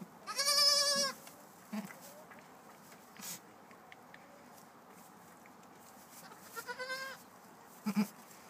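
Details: Newborn Nubian goat kids, two of them, trying to stand; a loud wavering bleat with stacked harmonics opens, followed by a shorter, quieter bleat near seven seconds and a few soft thumps, with people talking nearby.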